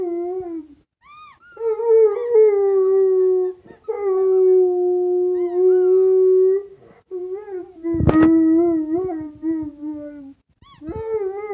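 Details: Rottweiler named Django howling to a squeaky toy, holding long steady mid-pitched notes that waver and dip, with pauses between phrases, sharp high toy squeaks at the start and end, and one brief clatter midway.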